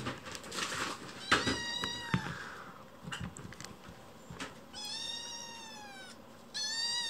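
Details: Rescue kitten in temporary foster care indoors in winter, crying loudly after waking from a nap and pacing the room; a few short harmonic meows, then two long, drawn-out cries of steady pitch, with faint rustling and soft thumps.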